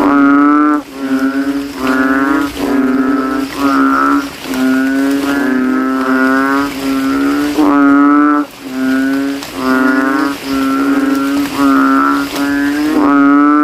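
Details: Night chorus of banded bullfrogs in standing water at a graveyard after rain, each swelling its throat sac to outcall the others: buzzy, deep moo-like notes, roughly a second long, following one another almost continuously.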